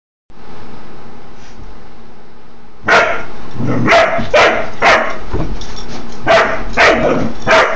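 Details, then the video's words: Doberman Pinscher puppy confronting a laughing dog toy: after about three seconds of low hum, sharp bright barks burst out roughly twice a second, somewhat irregular. "Doberman Puppy vs. Laughing Dog Toy"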